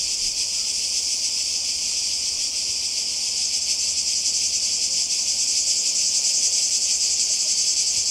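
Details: Cicadas calling by the sea in Croatia in 2020: a dense, unbroken shrill buzzing chorus with a faint rapid pulsing throughout, steady in loudness, with no other clear sounds above it.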